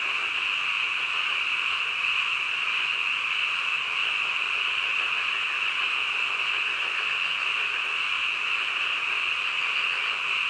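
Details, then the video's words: Midnight frog chorus, many animals calling together so that individual croaks blur into one continuous shrill buzzing drone that holds steady from start to end; no other sounds stand out. "한밤중 개구리 울음소리"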